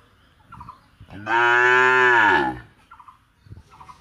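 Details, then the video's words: One long, loud moo from a village cow at Rosulpur, a rich harmonic call of about a second and a quarter, rising slightly and then falling, with soft bleat-like sounds and rustling around it. "9 Cow Mooing - Whose Voice Is Good | Cow Sound, Cow Hamba Hamba At Rosulpur"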